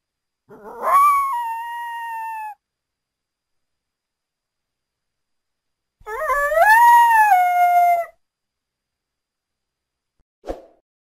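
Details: Two drawn-out howls from a North American coyote, each climbing sharply then easing into a long, slowly falling tone lasting about two seconds, with silence between and a brief click at the end.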